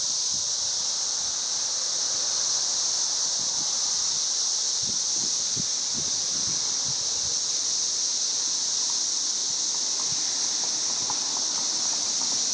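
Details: Chorus of 13-year cicadas around a house in Missouri, May 29, 2011: a relentless high, even drone, with soft low tapping early and faint brief chirps toward the end.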